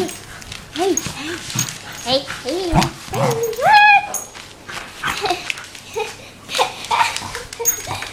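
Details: Young wire haired fox terrier, one year old and playful, during play with its owner indoors: high rising and falling whines and yelps, one long upward-sweeping whine midway, mixed with a person talking.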